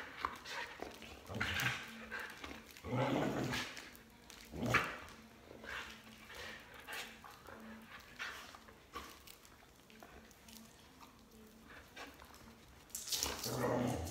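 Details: Border Collie barking while its owner jumps rope, giving sharp, noisy barks at irregular intervals, with a louder burst of barking near the end and some human voice mixed in.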